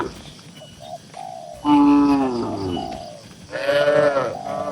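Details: Calm tame cattle crowded in a farm pen give two long, wavering moos about two seconds apart, pitch sliding down then steady, against faint cooing birds.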